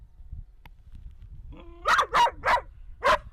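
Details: Anxious puppy barking as a specialized female therapist dog deliberately ignores his approach to rebuild his confidence. A brief whine rises into four sharp barks, three in quick succession and a last one after a short pause. Low background rumble.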